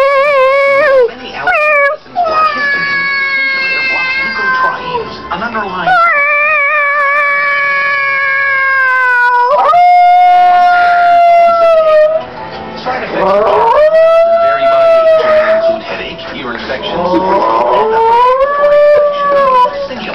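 A Chihuahua–Jack Russell mix howls in drawn-out, quavering notes that slide up and bend down, each held for several seconds. Human voices imitating cat meows break in between the howls.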